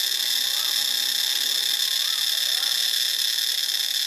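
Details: Cicadas in Ubon Ratchathani, Thailand, fill the air with a steady, intense high-pitched buzz that never drops, with faint higher-pitched bird notes sliding briefly beneath.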